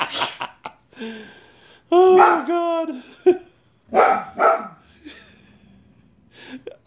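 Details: Angry white Boxer bitch barking at a man cleaning out a neighbour's gutters: a sharp bark opens, then a drawn-out harmonic howling bark, later a pair of hoarse barks, with human speech between them.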